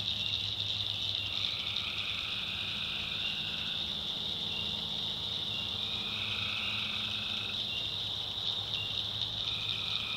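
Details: Tree frogs calling at night in a North Carolina backwoods swamp: overlapping trilled notes lasting one to two seconds over a steady high insect drone, with a low rumbling hum underneath.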